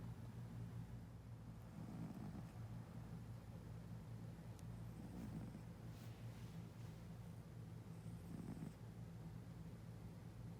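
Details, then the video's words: Domestic cat snoring in its sleep, soft rasping breaths roughly every three seconds over a steady low hum. "Cat Snoring"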